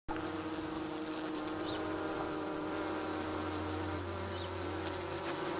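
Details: Tree bumblebees (Bombus hypnorum) at a nesting box in Cardiff, Wales, UK, on a hot 37°C day, give a steady, low droning wing buzz that holds an even pitch throughout.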